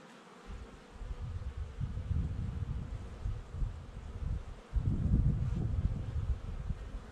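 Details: Honey bees at a hive in Jouques, Provence, southern France, on 12 May 2019 give a low, rumbling buzz that swells and fades in uneven waves, loudest after five seconds.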